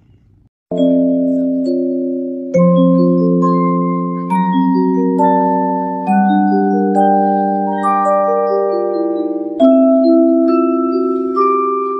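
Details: Only melodic mallet-percussion music plays, with sustained bell-like chords and no animal sounds. Gentle notes ring out in overlapping phrases throughout.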